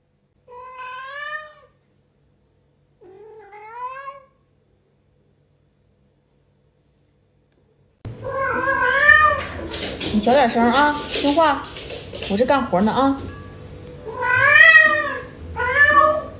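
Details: Early in the morning, the house cat Yuanbao meows for more food just after a meal and answers back when scolded. Two clear arched meows open, then a louder, overlapping run of wavering meows mixed with a person's voice.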